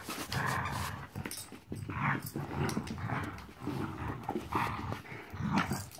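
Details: Fourteen-week-old puppy Marvel at play, letting out a rapid run of throaty growls, one gravelly burst roughly every second, with scuffling and thumps between them.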